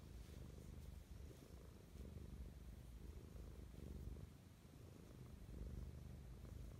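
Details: Mischa, a pet cat, purring affectionately in the morning; a steady low rumble with rhythmic pulsing, close and continuous, indoors with no other sounds.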